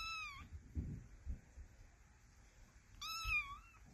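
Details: Kitten meowing indoors: two short, high, slightly falling meows, one at the start and one about three seconds later, with soft handling thumps and low room noise between them.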